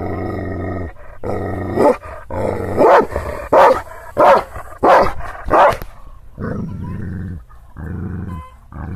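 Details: Hostile Kangal shepherd dog (Aksaray Malaklısı) in rural Anatolia, Turkey, guarding against unfamiliar people. Low, droning growls frame a run of five or six forceful barks in the middle.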